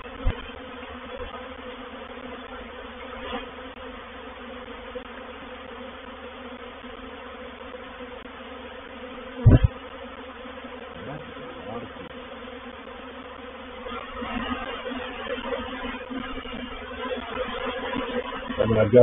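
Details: Honey bees of a reproductive swarm moving into a bait hive at Painted Peacock Manor, 04/07/21: a sustained, layered buzzing with a sharp knock midway, swelling and growing rougher toward the end.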